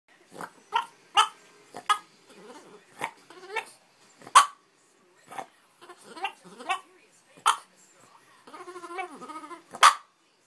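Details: Frank, a Boston Terrier dog, vocalizes insistently to his owner because he dislikes being ignored and wants to go to the park: a run of sharp yips and short barks with wavering, talk-like grumbling moans between them and a longer warbling whine near the end.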